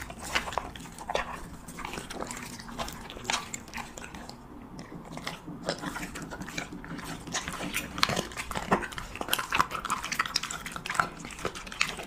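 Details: A Siberian Husky eating cheese meat chews noisily, with wet crunching and smacking bites in quick, uneven bursts.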